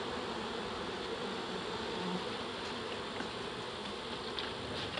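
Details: Honey bees from a large reproductive swarm, about 7 lbs, handled a handful at a time during capture in Dale County, Alabama. A loud, broad, unbroken buzzing fills the whole stretch.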